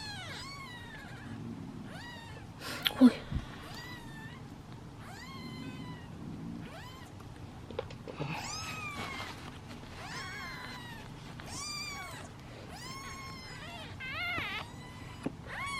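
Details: Seven hungry kittens waiting in a basket at feeding time meow loudly and impatiently, a dense chorus of overlapping high, wavering cries, with a bump and handling noises early on.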